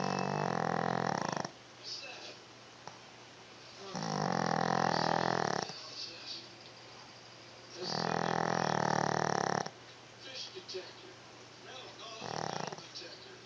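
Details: Dog snoring indoors: loud, rasping breaths about every four seconds, each lasting roughly one and a half seconds, with quieter snuffles between them over a steady low hum.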